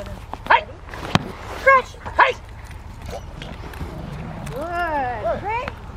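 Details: Rainy-day session on December 13, 2020 at Victoria Rottweiler Club: Willie v Schwarzerwald, a Rottweiler, lets out three sharp, short barks early on, then a drawn-out, wavering yelping call, over soft rain and voices.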